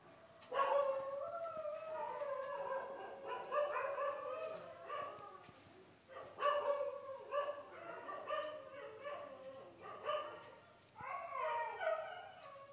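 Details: Dogs at midnight reacting to abnormal sounds: drawn-out howls and yelping barks in mid-pitched wavering bursts, in three main bouts with short pauses, several voices overlapping.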